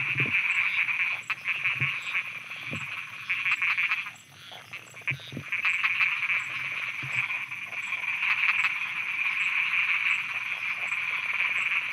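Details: Thai frogs croaking after dark: rapid repeated pulses with low knocking croaks, a brief lull around four seconds, then the dense high-pitched chorus returns at full strength.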